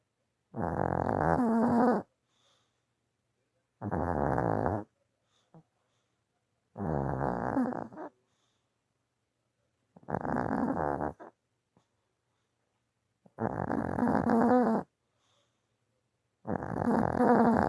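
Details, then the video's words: A tired dog snoring in its sleep indoors: long, rasping, buzzy snores about a second and a half long, repeating roughly every three seconds with quiet gaps between. "강아지도 피곤하면 코골이 하네요"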